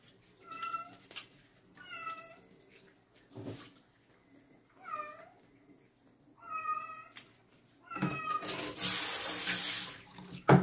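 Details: Female stray kitten during her first bath at night: a steady series of clear, bent meows repeated about every one to one and a half seconds, ending under a burst of running tap water.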